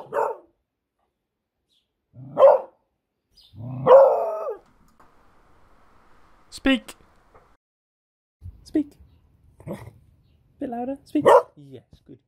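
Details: Female beagle barking on a speak command while her owner praises her: a series of short, yappy barks of varying length, some doubled, mixed with spoken words and quiet pauses.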